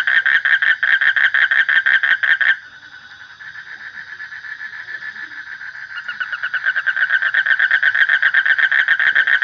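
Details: Loud, regular pulsed croaking from a frog for two and a half seconds, then a hushed trill, followed by a gradual return of the rhythmic rattling pulses growing stronger.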